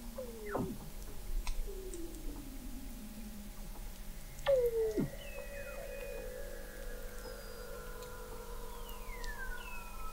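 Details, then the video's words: Under Antarctic sea ice in McMurdo Sound, Weddell seals recorded in November 2017 from a fixed observatory 21 m deep give long gliding downward whistles, a sharp plunging sweep midway, and thin high tones over a constant low hum. "Song of the Antarctic Weddell Seal"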